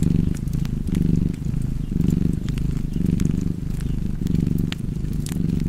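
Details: Cat purring beside a fireplace: a steady low rumble swelling and easing in cycles of about one second, with sharp crackles and pops of burning wood scattered over it.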